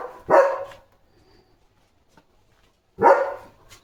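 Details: Single deep, harsh barks from a German Shepherd guarding his area on a farm in the evening, two barks about three seconds apart with near silence between.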